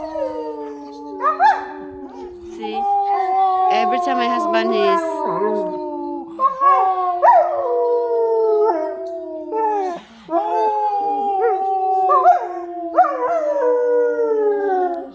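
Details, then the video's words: German Shepherd, nine months old, howling excitedly in a home while the owner's husband pretends to be hurt; long sliding tonal howls, several in a row with short breaks, some yips, a woman speaking and background music. "Dakota best howling video"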